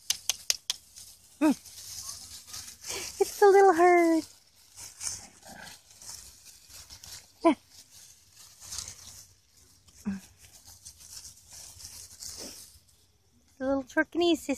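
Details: Havamaltzu and Chihuahua mix puppies enjoying time outside let out scattered short yelps and a rising, wavering whine, with gaps of rustling and soft human talk between the calls.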